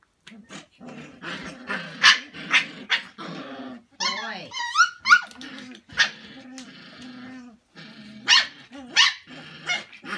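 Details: Samoyed puppies from one litter playing with a pool noodle in Prince Edward Island, Canada, in December: rumbling low growls with sharp yelping barks and a run of high squealing whines midway, bursts repeated throughout.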